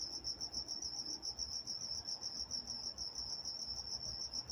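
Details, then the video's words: Nocturnal cricket chorus recorded in Walnut, California: a shrill, evenly pulsed high chirping, slightly quicker and softer, running unbroken over faint low hum. "Nature Sounds Night Time Crickets in Walnut, California"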